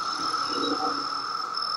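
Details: Seventeen-year periodical cicadas emerging in Maryland in summer 2021; a constant, even droning chorus fills the air with a high sustained tone, and people's voices murmur softly underneath.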